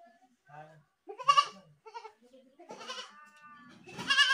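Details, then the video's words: Goats giving short bleats and a loud wavering scream near the start, then a sustained nasal bleat and a harsh cry at the end, with quieter murmurs between. "goat screaming"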